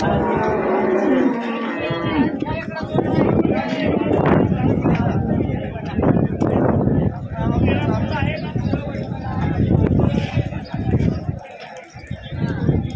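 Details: Murrah buffaloes at the Ghodegaon buffalo market on Friday, 4 July, give a low, drawn-out lowing call early on, partly masked by busy crowd chatter, a man speaking and loud market bustle throughout.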